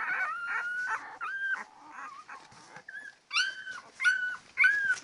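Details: Ten-day-old Labrador Retriever puppies whimpering: a run of high, wavering whines with some rising and some flat, overlapping one another, with brief quiet gaps between bursts.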